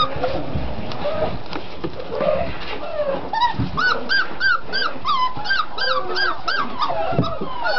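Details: Whimpering pups, six weeks old, from Mystic and Rhino's litter: rapid, repeated high whines with bright harmonics, several each second in the second half, over soft rustling and a human voice early on.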